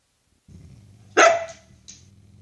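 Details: Husky begging to taste its owner's vegetables gives one loud, short harmonic cry lasting about a third of a second, then a faint tail, over a steady low hum.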